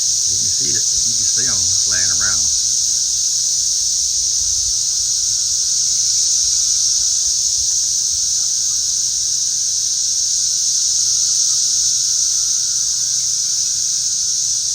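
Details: Masses of cicadas flying around a garden and going wild. A loud, constant high-pitched hiss like a droning flying saucer dominates, with brief male speech only in the first seconds.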